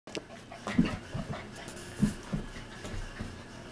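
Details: Three Australian Shepherd puppies, seven and a half weeks old, wrestling and playing together; soft, low grunting growls and snuffles come in short bursts amid scuffling and panting, with a faint room hum behind.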